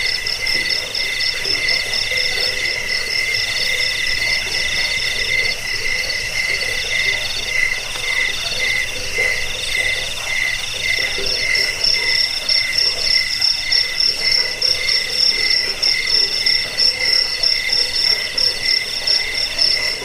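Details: Crickets played as a rat repellent, sleep aid and tutor recording for songbirds; dense chorus of steady high trilling chirps in two bright layers, pulsing unevenly throughout, with a faint lower rustling hum beneath.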